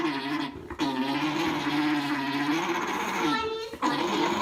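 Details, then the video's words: Alpacas mating at Charmingfare Farm: one alpaca gives a steady, gargling hum while breeding, a continuous throaty drone with brief breaks. "Alpacas make funny noises when breeding"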